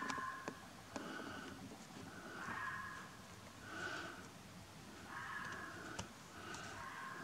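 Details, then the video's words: Fox howling on a misty night beside a train line with lights, recorded on a Nikon P900: a string of hoarse, drawn-out calls, each under a second, repeated roughly every second over a quiet night backdrop with occasional clicks. "Howling Fox"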